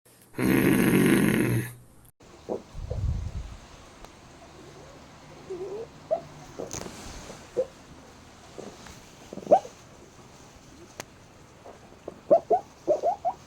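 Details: Black pug asleep, making short squeaky hiccup-like sounds at irregular intervals, in clusters toward the end, after a loud burst of noise at the start.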